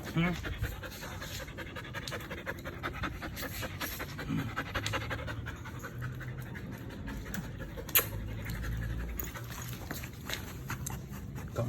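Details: Belgian Malinois dog panting in rapid, breathy bursts while a person scolds it in Filipino for chewing through a pipe; speech runs throughout with a sharp knock near the end.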